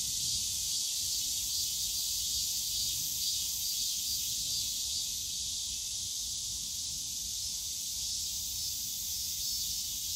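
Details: Cicadas calling in the bamboo grove of Yongsan Family Park on a summer day, a dense, steady, high buzzing chorus that fills the air without pause, with faint low park noise underneath.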